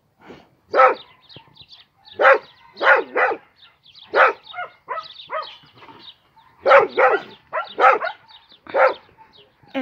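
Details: Dog barking in a series of about a dozen short, rough barks, some in quick pairs, with gaps of about a second; people speaking Dutch can be heard before and after.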